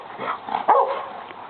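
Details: Austin, a pet dog attacking a lawn mower, gives a single short sharp bark over steady background hum.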